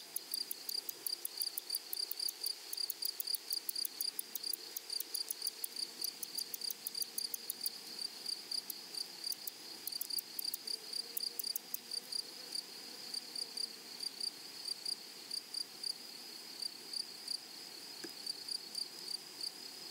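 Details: High, sizzling pulsed chirping of meadow grasshoppers, rapid bursts of clicks riding on a steady shrill tone, thinning out toward the end, with a faint low hum in the background.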